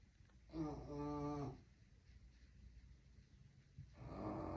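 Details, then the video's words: Bulldog puppy Luna snoring like a grown man indoors in a small room: a loud, droning, harmonic-rich snore lasting about a second, a quiet pause, then another rumbling snore beginning near the end. "Puppy Snoring 😴 Like a Grown man"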